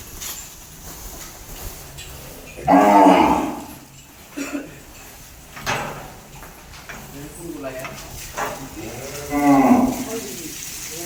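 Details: Sahiwal cow at the Bangladesh Livestock Research Institute farm in Rajshahi, Bangladesh, giving a loud, low moo that rises then falls, followed by shorter softer moos and a final drawn-out moo near the end, with people talking nearby.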